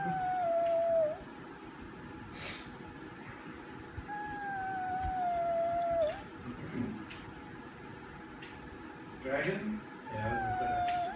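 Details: Pet Chihuahua singing indoors: drawn-out, wavering howl tones that slide slightly downward, in three bouts of about one to two seconds each, over a constant room hum, with background talking.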